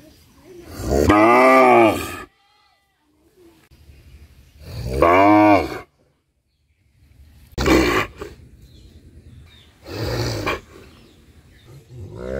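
A cow gives long, loud, rich moos that rise and fall, followed by shorter, harsher calls.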